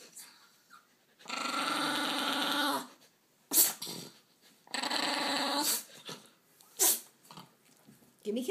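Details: Pet dog indoors giving kisses while growling: two drawn-out, rough, noisy growls of about one and a half and one second, with a person's voice repeating "give me kisses" between them and short breathy sounds.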